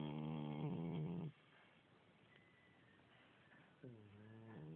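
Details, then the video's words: A domestic cat about 16 years old with a continuous cold. Snoring: a long, rasping, nasal breath, then a near-silent pause, then a second buzzy snore that starts to rise in pitch. "Snoring cat"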